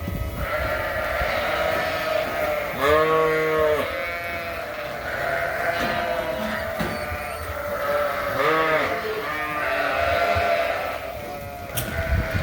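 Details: Suffolk lambs in a barn, escaped groups mixed together and racing around; several lambs bleat in turn, a loud quavering bleat near three seconds and more around eight and a half, with constant shuffling barn noise.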